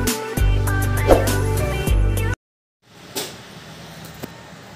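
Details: Instrumental music with a steady bass and guitar-like notes plays for about two seconds, then cuts to silence, followed by faint background noise with a couple of soft knocks.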